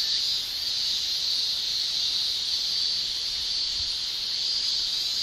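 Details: Male cicadas in Japan in summer, shrilling with tymbals: a dense, steady, high hiss-like chorus that holds unbroken throughout, with no other clear sounds.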